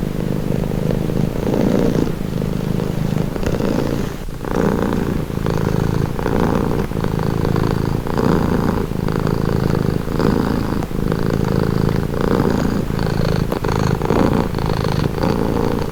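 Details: Cat's calming purr, a continuous deep rumbling vibration pulsing in quick, regular beats under a faint higher hiss, even and unbroken throughout.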